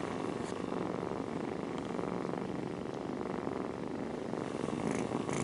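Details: Nursing cat mom purring beside her snuggling kittens, a constant, dense low-pitched rumble that holds steady for the whole stretch, with faint light scratchy ticks at the end.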